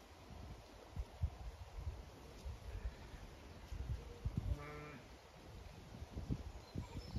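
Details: Zwartbles sheep in a flock on a County Kilkenny farm in Ireland, anticipating a move to fresh pasture; a single wavering harmonic bleat near the middle stands above steady low rustle and thumping.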